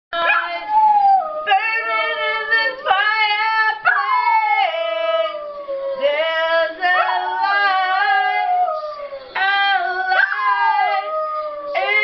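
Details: Pet dog howling along while a woman sings to Rocky Horror Picture Show: long, sliding, harmonic-rich howls rising and falling, in several phrases of one to two seconds.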